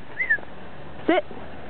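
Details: German Shepherd, male, during play and simple commands, gives two brief high whines, the second sharper with stacked rising overtones, separated by quiet; a calm indoor room tone underneath.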